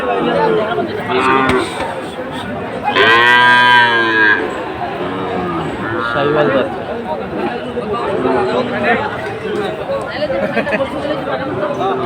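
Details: Sahiwal bull calves offered at a Comilla market, Bangladesh, 17 August 2024; a loud, full bellow lasting about a second stands out among scattered shorter moos, people talking and general crowd noise.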